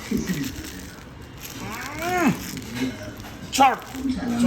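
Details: Siberian Husky, a pet dog indoors, vocalising while trying to get his sandwich: two drawn-out harmonic yowls that rise and then fall, one longer and one short, with faint room noise between them.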